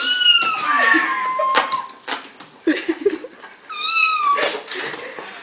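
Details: Domestic cat reacting excitedly to a phone ringer, giving a series of long, bending meows and yowls that rise and fall, with scuffling noises between calls and a final higher meow.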